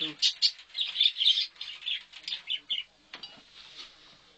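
A chinchilla gives a rapid series of high, thin squeaks and chirps.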